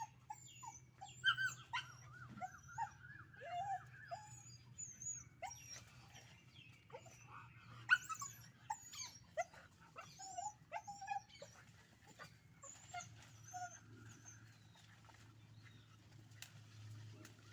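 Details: Puppies fighting in a natural outdoor scene, giving many short high yelps, squeals and whimpers in rapid irregular bursts, with a wavering whistled sound early on and a steady low hum underneath.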